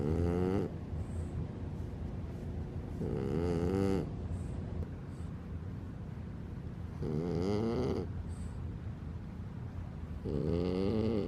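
A French Bulldog snores in loud, rasping bursts, each breath rattling for about a second.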